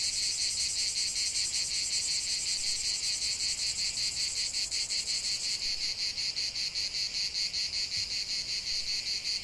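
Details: A chorus of cicadas in a lavender field keeps up an intense, shimmering, high-pitched buzz, throbbing in quick regular pulses, a dry rattling drone without pause.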